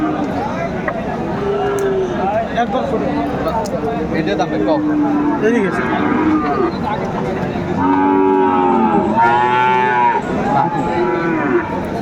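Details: Friesian or crossbred bull calves at Aftabganj market, Dinajpur, during bargaining; several lowing moos, some faint and some louder, the strongest near the end, over a busy crowd, voices and market bustle.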